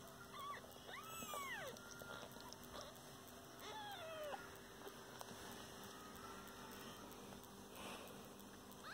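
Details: Domestic kittens kept together with their caring mother cat give a few thin, bending mews near the start and again midway, separated by long quiet stretches over low background hum.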